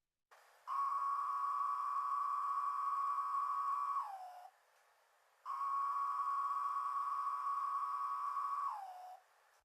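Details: Periodical cicada Magicicada tredecim of Brood XIX, emerging in North Carolina, played back at full loudness: two long droning calls, each about four seconds, holding one steady pitch and then sliding down at the end, with a short silent gap between them.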